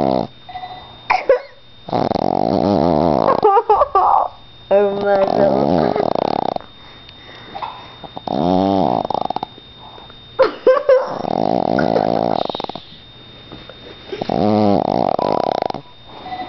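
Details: Sleeping Boston Terrier giving a run of deep, buzzing snores roughly every three seconds, some rising and falling in pitch, with human voices and brief noises heard in the pauses indoors.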